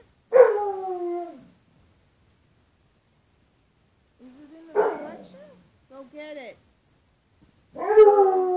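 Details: Bruce Wayne, a pet dog, facing his own reflection in a closet door's glass on 4.4.13 and 'discussing' with the 'other dog': three drawn-out, falling, moaning howls with long silent gaps between them.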